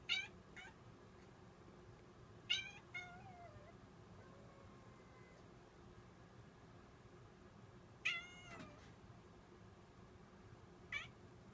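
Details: Puppy-like howling from a cat: four short wavering cries spread over the recording, one trailing into a faint drawn-out lower tone, against a low steady background hum.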